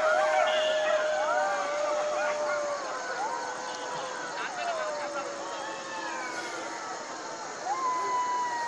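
Jackals wail together in wavering, siren-like howls broken by quick rising and falling yips.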